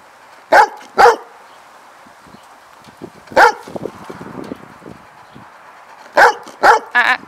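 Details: A dog in a training session gives loud, short, sharp barks: a quick pair, a single bark, then three in fast succession. Soft snuffles sound in between, and a trainer's voice is heard indoors.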